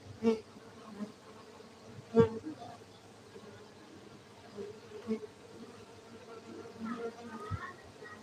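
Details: Steady humming of cultivated honey bees in Gayo, Aceh, Indonesia, a low sustained drone punctuated by several sharp clicks or knocks, about one every couple of seconds, with faint higher whines late on.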